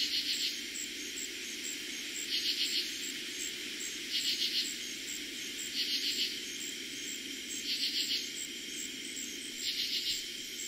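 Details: Night chorus of katydids in eastern Pennsylvania, early summer 2021: rhythmic scratchy pulse groups repeated about every one and a half to two seconds, layered on a continuous shrill background of crickets.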